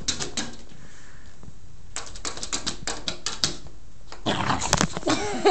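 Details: Kloe, a pit bull, playing with Tinkerbell the cat indoors and making silly noises: quick runs of clicking and scuffling, then a rough, grumbling burst of noise in the last second and a half.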